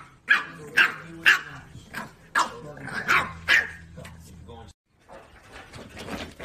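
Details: French Bulldog puppy wanting attention and play, giving a run of short sharp barks about twice a second, then a pause and fainter background noise.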